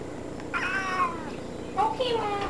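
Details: Cat in a bathtub making two separate meows. The first is a wavering, slightly falling call and the second a shorter one that bends downward, with steady indoor hiss behind them.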